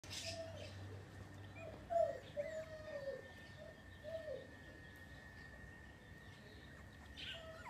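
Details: New Miniature Schnauzers in Oaxaca, Mexico, giving soft, thin whines that slide and bend, a few short cries clustered near the middle. A steady high electrical tone and low rumble run underneath.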